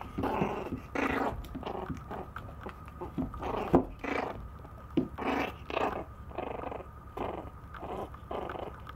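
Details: Indoors, a young Maltese tussles with a plate and lets out a string of short, husky growls about every half second to a second, mixed with biting and scraping sounds in a small room.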